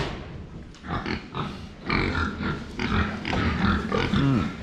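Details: Pigs filmed head-on while drinking water: irregular noisy snuffling and slurping bursts about twice a second, ending with a short low tonal grunt.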